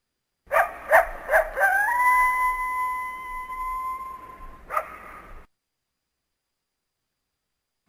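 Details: A North American coyote (Canis latrans) gives a few sharp yips, then a long, steady howl ending in a final bark.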